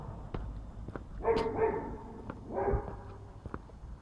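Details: Eastern gray squirrel (Sciurus carolinensis) gives two harsh, nasal, barking bursts among scattered sharp clicks.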